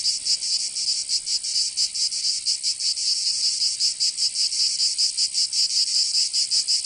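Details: Cicadas in summer in Provence, south of France, giving a high sizzling drone with uneven, irregular throbs rather than a steady beat.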